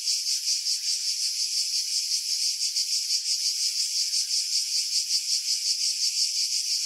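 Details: High shrill cicada chorus in pine woods above Pefkos Bay, Skiros, Greece, in July 2018: rapid wavering pulses over a constant drone, filtered for wind, nothing else audible.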